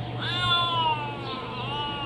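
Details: Hungry kitten meowing around mealtime: one long, drawn-out meow lasting about two seconds, steady then gently falling, over a low constant hum.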